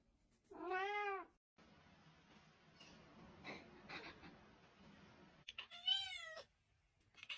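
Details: Pet cat giving two clear meows, the first arched and mid-pitched, the second higher and more strained, with soft shuffling and faint room noise in the gap between them.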